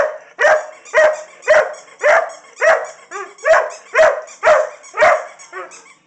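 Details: Barking from LadyBug, an Irish Setter, as she wants her toy: regular harsh barks near two per second, with a few softer whimpers slipped between them toward the end.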